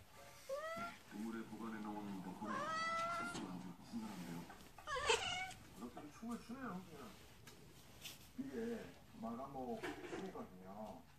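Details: A cat named Arong playing with a kitten in a small room; several drawn-out, wavering meows rise and fall across the clip, with talking voices in the background.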